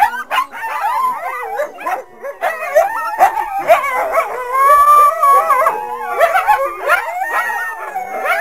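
Coyotes yip and howl together in a chaotic, overlapping chorus of wavering, high-pitched cries.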